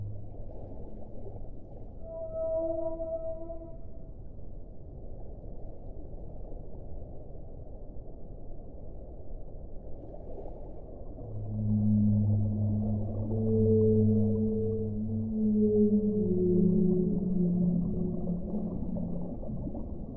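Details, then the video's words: A short, high tonal whale cry early on, then a long quiet stretch of low rumble before a series of loud, sliding moans with rich overtones rise and fall for several seconds. "1 ora di suono delle balene"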